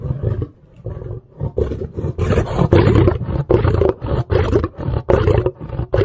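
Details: Lion growling deeply and continuously, with a low throbbing rumble broken into rapid, uneven pulses that grow louder after the first two seconds.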